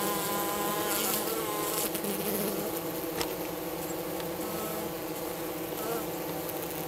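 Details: Minnesota hygienic honey bees at a hive south of St. Paul on March 16, a 50-degree first warm day, removing their dead from the hive bottom; steady droning buzz with layered low hum tones and soft clicks throughout.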